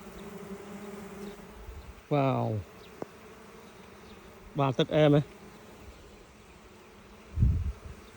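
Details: Wild honey bees at another natural nest found in the wild: a steady low droning hum runs through the recording, broken by short bursts of Khmer speech from people nearby.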